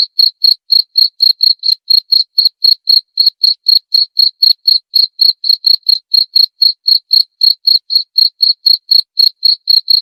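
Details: Cricket chirps used as a rat deterrent: a continuous, rapid series of bright, high pulsed chirps, roughly four each second, evenly spaced throughout with a quiet background.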